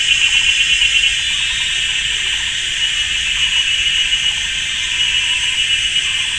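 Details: Summer cicada chorus in a Taiwan forest at GuanYin Shan on a sunny Sunday afternoon. A dense, shrill buzz with rapid ticking pulses overhead, loud throughout, briefly stronger at the start.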